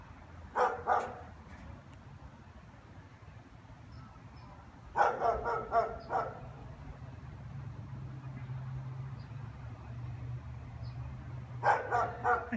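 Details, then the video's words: German Shepherds bark in short, deep bursts of several rapid woofs with long pauses, barking at nothing with nobody on the street, Monday 11 January at 3:15 in the afternoon, as they do every afternoon. "German shepherds barking 1"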